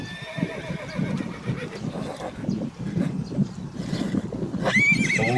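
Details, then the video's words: Herd horses galloping with steady low hoofbeat rumble throughout; a shrill rising then falling whinny breaks out near the end. "Som de Cavalos Relinchando - Sound of Neighing Horses"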